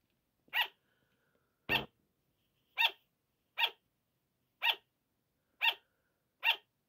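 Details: Sugar gliders barking at 5 o'clock in the morning at night: seven short, crisp, high barks at roughly one-second intervals, one accompanied by a low thump or knock.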